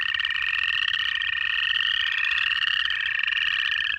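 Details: Native frogs calling together in Georgia in January, a thick wall of trilled, upward-climbing notes blended with a steady droning tone. Busy and unbroken throughout.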